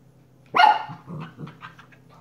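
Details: Shiba Inu pup indoors giving a single sharp, loud bark with a rich harmonic ring, followed by a few softer, short grunting huffs over a steady low electrical hum.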